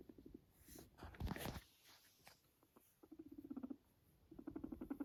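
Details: Pet guinea pig Max, a Sheltie living alone with his family, gives rapid low vibrating purr pulses in short runs, broken by a loud rustling noise early on.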